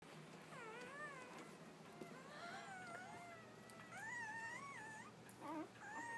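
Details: Newborn Labrador Retriever puppies, part of a litter of eight born early that morning to their mother Bitsy, give thin, wavering squeals. The calls rise and fall and overlap from several pups, over a faint low indoor hum.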